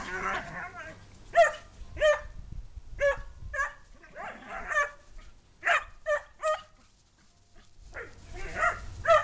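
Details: Dog at play with a second dog, giving a run of harmonic barks and yips spaced about a second apart, with rough scuffling and a brief pause before a final cluster of barks.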